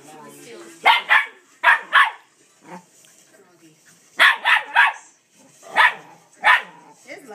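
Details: Dog urging his reluctant sister to play: loud barks in clusters of two or three with short pauses between groups, a voice faintly in the background.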